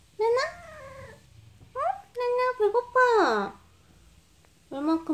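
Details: Talkative female house cat replies in a small room when asked if she is hungry. Several rising-then-falling meows mix with a woman's questioning voice, and one long, loud meow bends down sharply.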